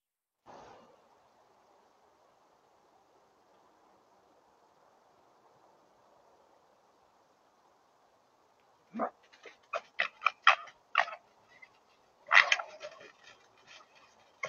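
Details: Two wild red foxes fight over food in a Suffolk field in January 2023, during the winter breeding season. After near silence, harsh rasping screams and chattering bursts erupt from about nine seconds, peaking in a loud screech near twelve seconds, over steady hiss.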